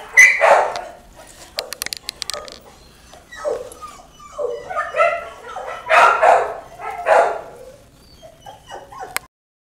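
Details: Puppies giving short high yips and whimpers in uneven bursts, some rising and falling, with quiet gaps and a few sharp clicks between calls.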